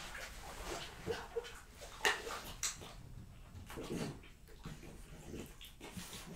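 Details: Indoors, Jessica, a female French Bulldog, works through a plate of raw lamb cutlets, beef schnitzel and BBQ pulled pork. Soft, moist chewing and smacking alternate with a few sharp bites and a brief nasal whine.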